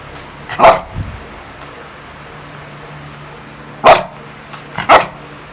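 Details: A pet beagle in the Philippines gives three loud, sharp barks, spaced irregularly over a few seconds.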